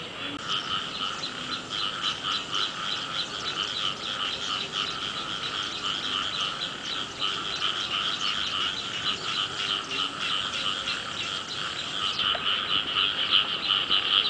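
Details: Frog chorus in early-season rain: dense, rapidly pulsed croaking in two steady bands, one mid and one high, with many overlapping callers, rising in loudness toward the end.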